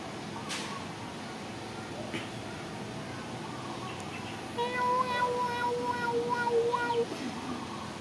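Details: Mother cat waiting to be fed gives a long, steady, wavering meow lasting about two and a half seconds, with voices and background noise around it.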